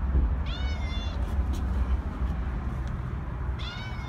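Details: Cat outdoors giving two meows, the first near the start and a second rising one near the end, over steady low rumbling background noise.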